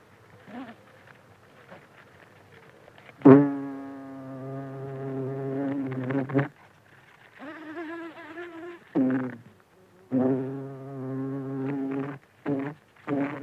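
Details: Close-up buzzing of a buff-tailed bumblebee (Bombus terrestris) feeding at flowers: a low, rich drone starts abruptly, holds steady for several seconds, then breaks into shorter buzzing bursts that shift slightly in pitch as the bee moves.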